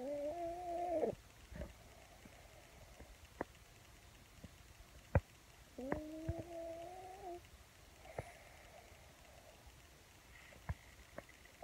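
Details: A sleeping pug squeaking in its sleep indoors; two drawn-out, whiny squeals with a level, slightly wavering tone, each about one to one and a half seconds long, separated by quiet breathing and small clicks.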